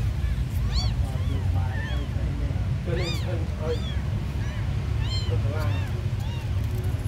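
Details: Very small abandoned kittens mewing in scattered bursts, sharp rising-falling cries with a few softer calls between, set against a constant deep rumble.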